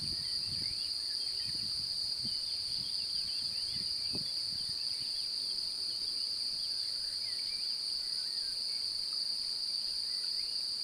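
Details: Courting male cricket rubbing its wing covers to sing near an apparently interested female; continuous shrill trill, unchanging in pitch, over faint low thumps and background noise.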